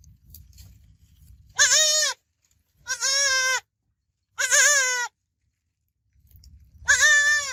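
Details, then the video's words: Young goat kid giving four loud, bright bleats, each shaky and wavering, roughly one to two seconds apart, with faint low background rumble before the first and last calls. "Baby Goat Sounds Babbling Sound Effect Goat Kid Sounds Effect"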